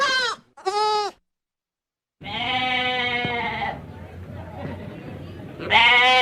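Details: Goat bleats: two brief high cries, a silent gap, then a long, strained bleat trailing into rough noisy breath, and a final loud bleat.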